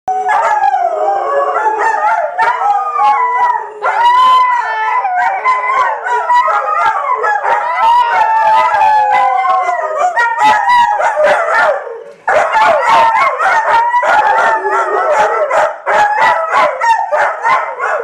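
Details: Three dogs in a house howl together after one starts and the others join in, their long wavering notes overlapping in a loud chorus.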